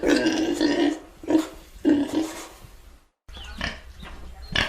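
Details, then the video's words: Pig giving a short run of throaty, nasal grunts in quick bursts, then a brief gap of silence before a few softer, breathier grunts finish the sequence. "Pig Oink Sound Effect"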